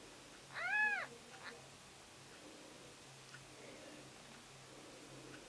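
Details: Newborn Siamese kittens born September 14th: one thin, arching mew that rises then falls over about half a second, followed by faint rustling in a quiet indoor room with a low steady hum.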